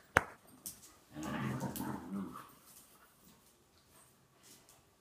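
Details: A six-month-old Dachshund and a four-year-old German Shorthaired Pointer at play indoors: a sharp knock opens, then a low, rumbling growl with layered tones swells for over a second and fades, followed by faint scuffles.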